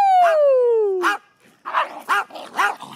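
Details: Five excited dogs on their first car ride to a local park in weeks, whining and barking on the short drive: a long falling whine, then a burst of rapid barks, with a person cheering nearby.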